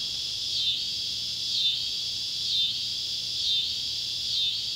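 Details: Neotibicen pruinosus and Neotibicen tibicen cicadas calling at sunset by an old tobacco barn in Ballard County, Kentucky, July 31, 2013: a loud, high, shimmering drone that swells and dips about once a second, steady and rhythmic.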